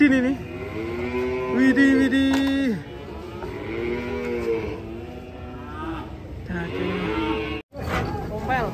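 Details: Cow being unloaded from a truck, lowing in a long, steady, low moo for nearly three seconds, then further shorter, wavering moos, with music and voices faintly behind and a brief cut near the end.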